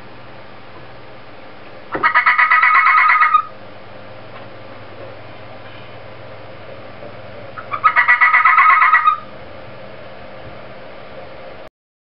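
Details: Inari the fennec fox gives an odd noise twice, about six seconds apart: each a loud, pulsing, reedy squeal lasting roughly a second and a half, with quiet background hum between bursts.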